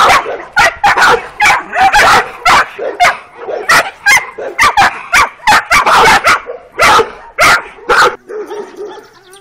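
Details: Twelve-week-old working Kuvasz puppies out on their first walk along a street, two bitches from the litter: quick bursts of sharp yapping barks about twice a second, ending in softer whining tones.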